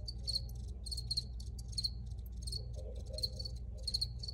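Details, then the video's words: Short rhythmic cricket chirps, bursts of two or three pulses repeating roughly every half second, with faint low hum beneath. "Free Cricket Sounds"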